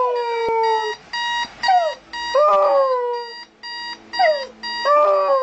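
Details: A Siberian Husky howls at a beeping alarm clock, giving wavering, sliding howls and whines over the steady repeated electronic beeping.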